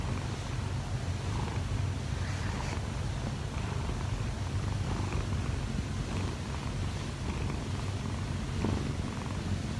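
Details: Kggobugi, a 1-year-4-month-old odd-eyed Munchkin cat, purring steadily while kneading on the owner's wife to wake her in the morning; continuous low rumbling throughout with faint soft rustling.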